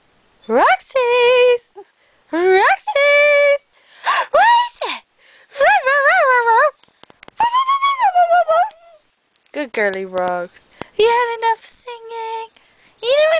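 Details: A pup, described as a singing dog, gives a series of short, tonal, howl-like notes. Each begins with a sharp upward glide, then holds or wavers briefly, with short silent gaps between bursts over about thirteen seconds.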